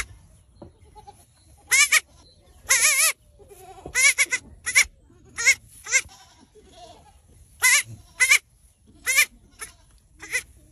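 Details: A baby goat bleats repeatedly in short, high, quavering cries.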